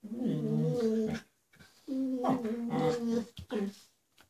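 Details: Dog vocalising indoors while Hollywood, a gentle border collie mix, plays with Bowie, a terrier puppy who torments her: two drawn-out, wavering moan-like growls separated by a short pause, followed by brief clipped sounds.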